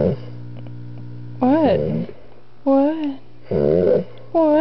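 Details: Two-year-old male Doberman Pinscher weighing 125 pounds, grunting and whining indoors while an almost four-month-old puppy annoys him. Several nasal whines bend up and down in pitch, separated by short pauses, over a steady electrical hum.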